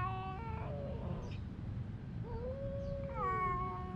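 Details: A cat in a fight with its female partner yowls in long tonal wails, one sliding downward, then a slow rising-and-falling moan leading into a louder harmonic cry, over steady low background rumble.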